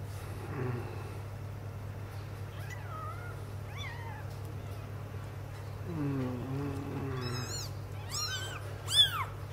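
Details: Sphynx kittens six days old, indoors while their carpet is changed, give thin high meows that rise and fall, several short cries spaced over the clip with a steady low hum and a quiet voice beneath.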